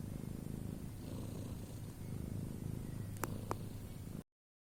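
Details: A pet cat snoring in its sleep: continuous low grumbling rattle with gentle rising and falling breaths, interrupted near the end by two short sharp clicks before it cuts off.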